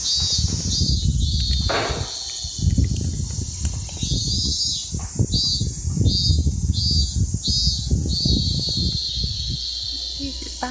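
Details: A robust cicada (minmin-zemi) in a Japanese neighbourhood sings a high, harsh buzzing drone breaking into evenly repeated pulses, about one to two per second, in the 'meen-min-min' pattern, over low wind or handling rumble.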